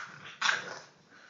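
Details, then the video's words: Three-month-old English bulldog puppy giving a single short, harsh bark after a low growl, with a faint whine trailing off at the end. "English bulldog puppy"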